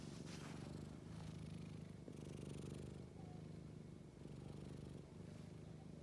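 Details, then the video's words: Purring Scottish Fold: soft, low rumble pulsing in even waves with brief pauses between breaths, quiet background and slight scraping. "고양이 그르릉"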